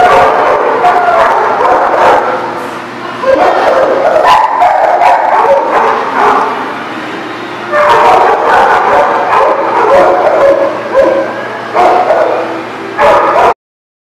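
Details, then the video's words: Several dogs at a dog facility bark and yip in overlapping bursts, loud stretches broken by a brief quieter lull, sharp repeated barks in a reverberant room, recorded in November. "The Barking Lot"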